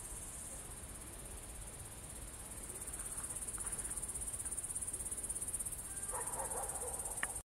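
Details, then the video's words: Crickets at Kolga, Estonia, 6 September 2018, 20:26 in the evening, producing a continuous high shrill trill; toward the end a short burst of lower, rough sound and a click break in before the recording stops abruptly. "Ritsikate siristamine Kolgal"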